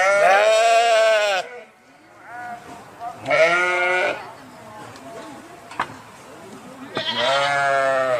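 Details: Sheep bleats: a long wavering cry, a second drawn-out bleat after a pause filled with softer, fainter bleating, and a third loud bleat at the close.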